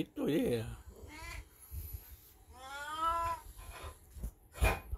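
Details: Elderly black cat Beni, in heat indoors with a golden retriever looking on, lets out a long wavering yowl after a brief human remark, followed by a shorter cry at the end.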